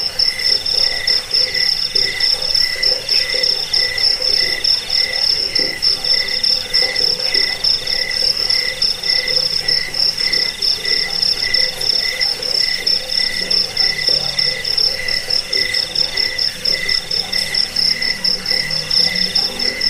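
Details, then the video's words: Crickets, offered as a sound to repel rats, lull listeners to sleep and train birds: a dense, high, steady pulsed trill runs throughout, with a lower pulsing tone beneath it and faint low throbbing pulses in the background. "Suara jangkik pengusir tikus pengantar tidur"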